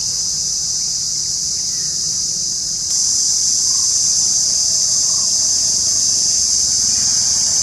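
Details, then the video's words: Cicada in India, a sustained high whining buzz that grows slightly louder partway through, with a few faint bird notes in the background. "india cicada ka आवाज आप लोग नही sune होंगे।"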